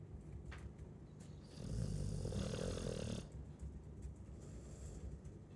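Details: Chow Chow dog snoring: one drawn-out, grating, low snore lasting about a second and a half, framed by soft breathy rustles.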